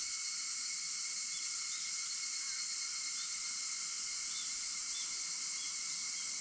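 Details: Cicadas at 4:50 in the morning on August 4, heard as a continuous high-pitched buzzing hiss over constant ringing tones, with a few faint brief chirps near the end.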